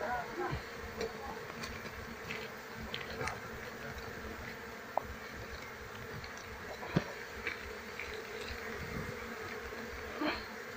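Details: Wild Asian honey bee (Apis cerana) colony being moved into a beekeeping box while the queen is searched for; a dense, steady swarm buzz fills the recording, with scattered faint clicks and knocks.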